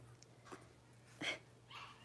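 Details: Six-week-old blenheim Cavalier King Charles Spaniel puppies, a litter of five born on New Year's to Paris and Spike, in an indoor puppy pen; a few short, faint high squeaks and whimpers separated by quiet, with low background hum.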